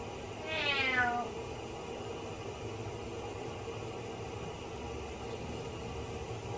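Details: Pet cat crying while its owner takes a shower: one clear descending meow early on, then only steady hiss for several seconds.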